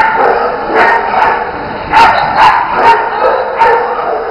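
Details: Agility session with the Bearded Collies Otto and Roope jumping. Short, punchy barks repeat at an uneven, fairly fast pace, about two per second at times, over a constant hissing background.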